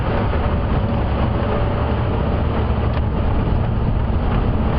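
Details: A continuous deep rumble from a vehicle engine fills the recording. No animal calls can be picked out over the mechanical drone.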